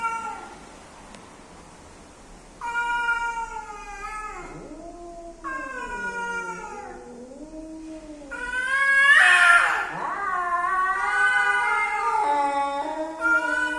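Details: Male and female cats meeting to mate, yowling: a quiet start, then long harmonic wails with swooping dips, building to a harsh, loud screeching outburst before continued drawn-out cries.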